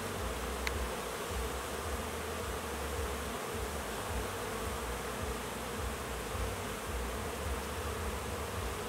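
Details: Crowds of honey bees flying around hives on orientation flights, new foragers learning where they live; thick, even buzzing drone with faint pulsing low hum and a single click early on.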